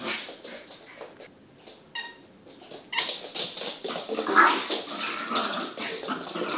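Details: Small puppy growling while playing fetch: a single squeaky toy squeak, then about three and a half seconds of rough, raspy, sustained growling with uneven pulses.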